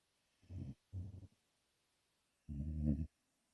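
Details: Tim, a 5-month-old American Pit Bull Terrier puppy, snoring while asleep: two short low rumbling snorts close together, then a longer, louder harsh snore after a pause, in an otherwise quiet room.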